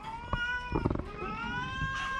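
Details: Sick orange cat with a cough and cold letting out one long, sustained, slightly wavering meow that fills the whole moment, with a few soft clicks and thuds underneath.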